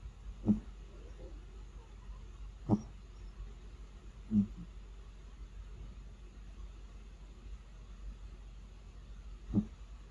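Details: Four brief, low snorting snores from a slumbering cat, the first three about two seconds apart, then a longer pause before the last, over faint steady background hum.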